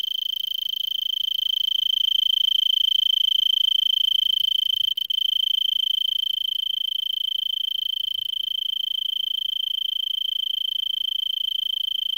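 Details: Tree cricket of Arizona perched in brittlebush at Vail, 3300 ft, late afternoon on December 26 near 70 °F, singing for an hour already; continuous high-pitched pulsing trill with a brief break midway and a faint low thump.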